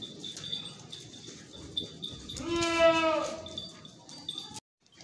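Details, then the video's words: Beetal goat giving one loud bleat lasting about a second, with a strong harmonic stack that wavers slightly, set against a steady high-pitched background tone and low rumble. "Beetal Goats"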